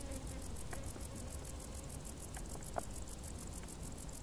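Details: Crickets in tall grass on a hot summer day: a thin, very high pulsing chirp repeats rapidly and evenly throughout, over a steady low rumble with a few faint clicks.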